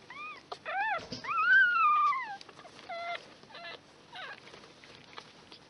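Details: One-day-old miniature pinscher puppies from litter X, sired by Homokháti Fürge Delon out of Bácskautcai Léda, give thin, whining squeals that rise and then fall. One long, sliding whimper is followed by shorter chirping cries over a quiet background.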